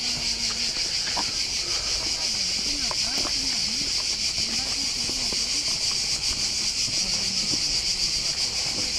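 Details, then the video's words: Loud, unbroken cicada chorus at Corfu's Old Fortress, a high, even, shimmering buzz pulsing rapidly throughout, with Greek conversation murmuring faintly underneath. "Cicada sound at Korfu Old Fortress"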